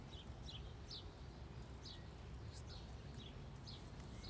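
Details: Angry female black squirrel, acrobatic and unhappy at being filmed, gives short, high, downward-sliding chirps repeated about every half second over a steady low rumble of background noise.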